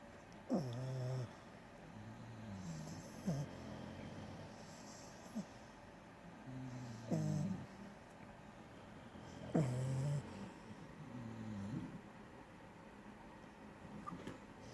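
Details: French Bulldog asleep and snoring, each breath a deep, rattling snort with a brief higher nasal squeak, recurring irregularly every two to four seconds over a steady low hum.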